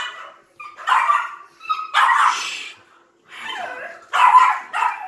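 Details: High-pitched yips and short whiny barks from a pair of Yorkshire Terrier puppies belonging to Vern, a silkie coat Yorkie, in uneven bursts with brief silent gaps between them.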